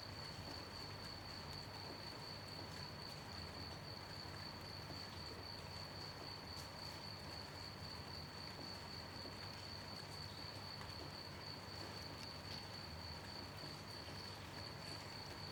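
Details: At night, a cricket trills steadily on one high pitch while gentle rain patters all around.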